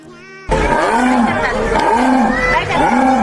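A jaguar utters a series of coarse, sawing grunts, each a rough breathy rasp repeated about once a second. Music and a brief spoken word sit under and before the calls.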